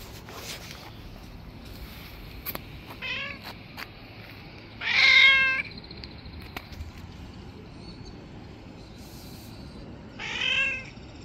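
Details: Street cat sound from a white cat described as angry and a bully among stray cats: two loud, harmonic meows near five and ten seconds, with fainter short mews earlier over a quiet background.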